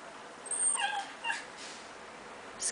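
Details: Chihuahua wearing a sweater on a cold day, whimpering during a wrestling match as the sweater comes off; a couple of brief, thin, high whines near the start, then quiet rustling.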